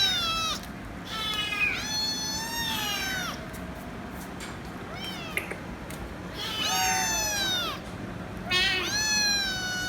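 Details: Kitten screaming for head rubs: loud drawn-out meows, some rising then falling, in clusters of two or three with short pauses, over a low steady hum.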